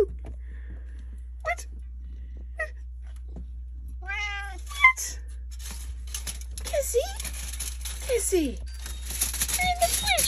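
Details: A Siamese cat in a fridge gives several drawn-out, wavering meows while people talk nearby.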